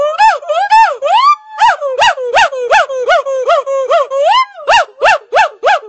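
A red-shanked douc gives quick, nasal, rising-and-falling yelps in a rapid, uneven series.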